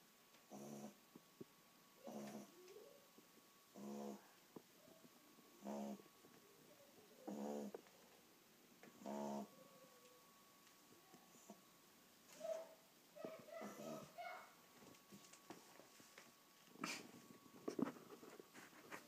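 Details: An 8-week-old Cocker Spaniel puppy snores in soft, rasping bursts roughly every two seconds.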